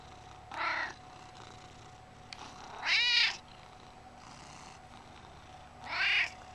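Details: Talkative pet cat Gizmo, an 11-year-old chunky male, gives three bright, arched meows spaced about two and a half seconds apart, the middle one loudest, over a faint steady household hum.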